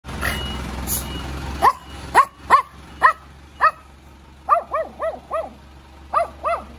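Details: Small, cute dog barking in reaction to a car's noise next door: a series of short, sharp, high yapping barks, single and in quick clusters of three or four, after a few seconds of rustling and low background hum.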